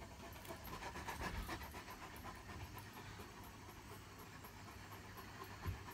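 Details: Libre, a white Great Pyrenees, just back home from a morning walk on a hot day and drooling heavily, pants in fast, rough breaths of about four per second over a steady low background hum.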